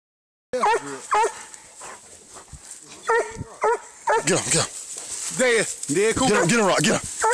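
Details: Treeing Walker Coonhound fighting a raccoon, recorded on a phone: loud, harmonic barks and yelps in quick irregular bursts, with people talking and calling in the background.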